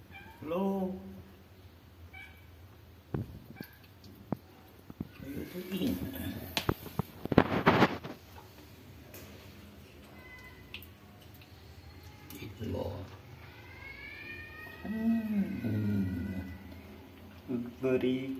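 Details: Hungry stray cats and kittens being fed in the morning, always following the person feeding them; several short rising-falling meows, with a louder burst of meowing near the end, amid clatter and background noise.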